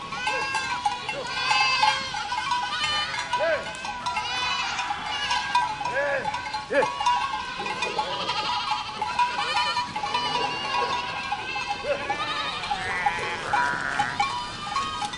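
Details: Goats of a herd giving scattered quavering bleats among a busy mix of overlapping calls, with a faint ringing bell tone running through much of the recording.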